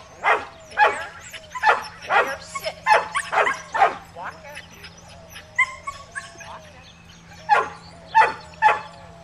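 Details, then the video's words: Cammie, a Shetland Sheepdog (sheltie), barking while herding sheep at Performance Dogs in Action near Sacramento, California, on July 25, 2010, filmed on a Flip camcorder; sharp barks come in quick uneven bursts over a steady low hum. "Sheltie Herding Sheep"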